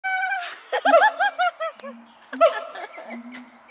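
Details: Siamang at Dortmund Zoo, a captive gibbon: a quick run of loud, arched, ringing whoops, each rising then falling, about five in a second, with low humming tones underneath and a second burst of whoops near the end.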